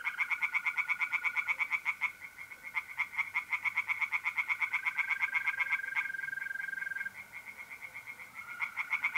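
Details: Tree frogs singing by night in a pond in north-eastern Italy in mid-April, rapid loud pulsed croaks repeated several times a second in long runs, with a steady high trill of mole crickets running underneath.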